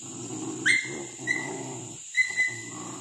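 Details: Village dogs hunting monkeys in trees along a riverbank, where monkeys are treated as pests raiding fruit gardens and fields; steady low growling runs throughout, with several high thin whines rising over it.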